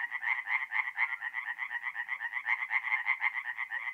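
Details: Tree frogs singing at night at a forest pond in mid-April, North-East Italy; dense chorus of rapid pulsed croaks between roughly one and three thousand cycles, several callers overlapping in a steady rhythm about twice a second.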